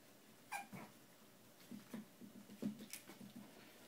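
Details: Shiba Inu puppies of one litter, filmed September 26, 2010, give a brief high squeal, then a run of soft, low grunting whimpers.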